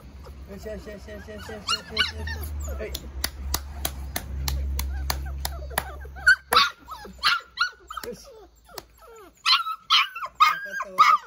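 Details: A litter of newborn Labrador Retriever puppies, squealing and whining in overlapping high, wavering cries that grow louder and more insistent toward the end, with a person talking and low handling noise.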